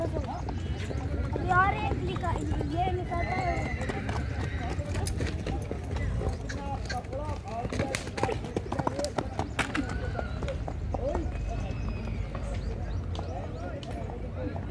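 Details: Horses at the Akluj horse fair (Ghoda Bazaar), Solapur, India, 2022: a short, harmonic whinny early on. Clip-clopping hooves throughout, with busy crowd chatter and men talking over the animals.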